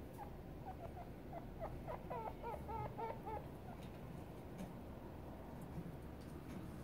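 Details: Chinchillas with their eight-day-old kits give a quick run of thin, high squeaks over a low background rumble.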